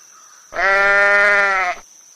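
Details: A sheep gives a single steady, nasal bleat of just over a second, even in pitch with a slight waver, over a faint high background whine.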